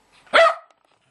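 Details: Lakeland Terrier waiting to play with a spinning top gives a single short, sharp bark, with a man speaking to it just before and after.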